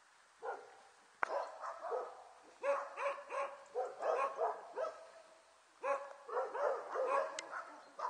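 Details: Border Collie puppies, a litter about one and a half months old, filmed on 5 January 2013 with their mother nearby, giving short high yips and squeaky barks in irregular bursts, with a brief pause near the middle.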